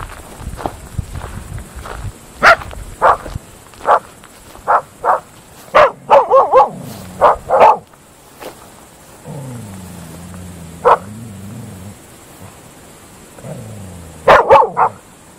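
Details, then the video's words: Groenendael dogs (Belgian Shepherds) barking at night in open fields, loud sharp barks in irregular runs, wavering yelps, and a lower drawn-out whining moan in the middle. "Dogs barking at night in open fields Belgische Herdershond Groenendaler"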